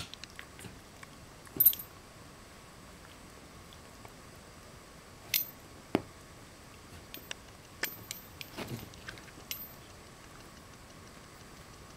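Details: Quiet indoor room with scattered clicks, knocks and a jingle of keys, a faint steady hum throughout and no animal voice.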